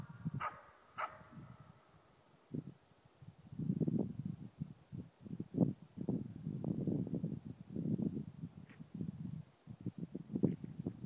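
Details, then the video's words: Baying of a four-month-old East Siberian Laika at a moose on a hunt: two clear barks at the start, then faint distant barks later beneath a long stretch of low rumbling noise. "första ståndskall på älg! Östsibirisk laika på 4 månader."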